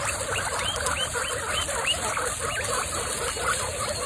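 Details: Excited female guinea pigs from a group of twenty-six stand up and wheek: many overlapping rising whistled squeals crowd together continuously over a steady background hiss.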